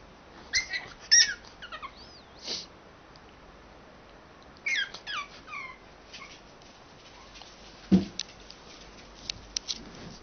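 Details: Pug waking its owners like an alarm clock: scattered high-pitched squeaks and whimpers, brief sliding notes in clusters, one short lower huff near the end, otherwise quiet room.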